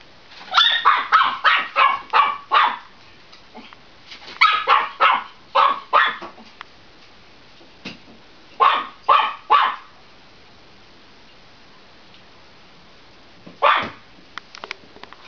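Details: A Chihuahua, filmed on 4 July 2010 barking at a mop as it always does, yaps in quick bursts of sharp, high-pitched barks with short pauses between.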